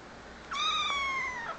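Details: Cute kitten answering its owner indoors: a single clear, tonal meow that rises quickly, holds steady, then slides down at the end, lasting about one second, with quiet room background.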